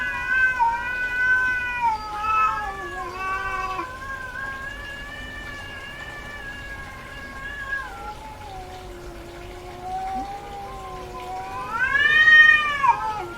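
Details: Domestic cat, a female in heat, giving a sustained, slowly wavering yowl that drifts downward over several seconds, then a sharp, louder rising and falling cry near the end.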